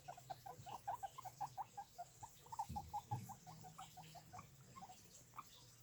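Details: Several guinea pigs making noises: a rapid string of short, even squeaks, nearly three per second, fading toward the end, with a brief low thump midway and a constant low hum beneath.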